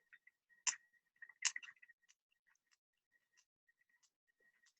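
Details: Sperm whale (Physeter macrocephalus), echolocation clicks: navigating and searching for prey by echolocation.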